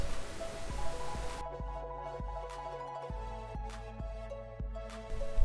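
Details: Instrumental music with steady low bass notes and regular percussive beats, with no animal sounds heard.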